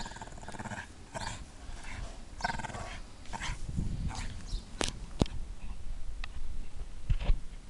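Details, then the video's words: Playing Irish Staff, a three-and-a-half-year-old female Staffordshire Bull Terrier, giving low rumbling growls that swell mid-clip, with a couple of sharp high yelps and soft whimpers amid scuffling noises. "Irish Staff barking and playing."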